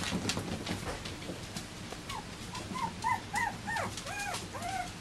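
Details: Bichon Frisé puppies from litter O & P give a run of short, arched, high whimpers, each rising then falling, repeated quickly through the second half amid soft background clatter.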